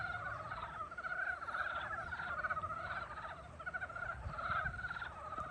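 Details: Spring frog chorus, many animals calling at once in a continuous stream of pulsed, rattling trills that swell and fade without pause, over a faint low background hum.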